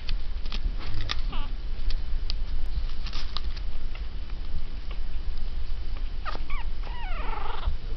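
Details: Three teacup Yorkshire Terrier puppies, three and a half weeks old, in an Easter basket, growling at each other and barking a little. Faint high squeaky yips and whimpers rise near the end over a steady hiss and soft rustling.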